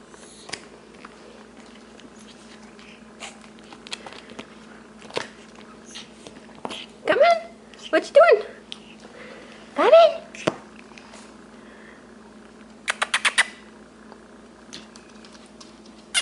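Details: Six-week-old male Shih Tzu puppies from an Addie x Vinnie litter playing indoors; a few short, high, rising yelps and whiny squeals cluster in the middle, amid a person's talking, rustling, a brief rapid clicking burst and a steady low room hum.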